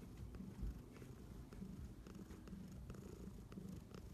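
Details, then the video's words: Close purring from a cat, a low vibrating rumble that swells and fades in quick, regular surges with light rustling on top. "Cat purring compilation"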